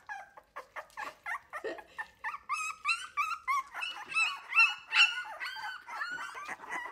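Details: Three-week-old Wire-haired Miniature Dachshund puppies of the I litter, indoors, loudly protesting while learning to take milk from a person instead of their mother: a rapid series of high, whining yips and squeals, about two or three per second, rising in intensity.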